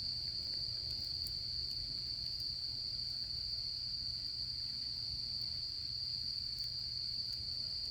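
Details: Autumn insects calling outdoors at a campfire in camping season. A steady, unbroken high-pitched ringing trill holds throughout, with faint scattered crackles and a low background hum beneath.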